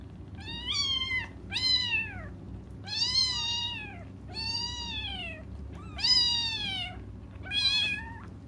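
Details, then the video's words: Crying kittens waiting for their mom give six long, drawn-out, insistent meows, each rising then sliding down in pitch, spaced about a second apart over a faint low background rumble. "until their mom comes just stop crying"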